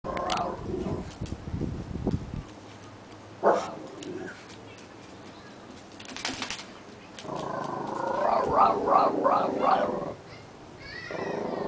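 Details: An Italian Greyhound guard dog gives a wavering, drawn-out "rooowrroowww" howl while guarding.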